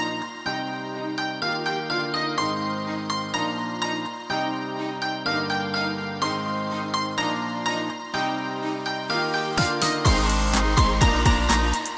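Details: Plucked harp-like background music in a steady rhythm, turning fuller and brighter near the end, with no animal sounds.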